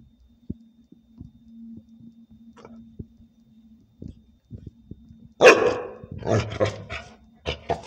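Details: Dog confronting a praying mantis; after several seconds of quiet with faint clicks and a low steady hum, a burst of loud harsh barks breaks out, followed by a few more sharp barks.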